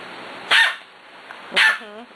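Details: Six-week-old puppies playing: two high, sharp barks about a second apart, the second followed by a brief wavering whine, with quiet indoor background.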